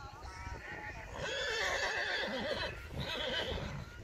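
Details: Reintje, a Friesian horse mare (Tjalbert x Sibald), neighing during dressage: a long wavering whinny with quivering pitch lasting over a second, hoof clip-clop and a voice underneath.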